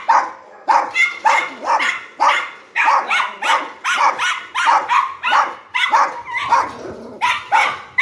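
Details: Dog barking steadily, about fourteen sharp, loud barks packed into eight seconds at a brisk, fairly even pace of roughly two per second, with no other sounds standing out.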